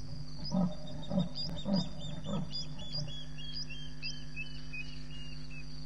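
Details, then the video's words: Leopard sawing at about 12:30 a.m. on 7 May 2017 at Djuma Game Reserve, two leopards present: five deep, rasping strokes about 0.6 seconds apart, fading out, with chirping insects and high night calls behind. "Leopard sawing and visual of 1 Leopard but 2 were there"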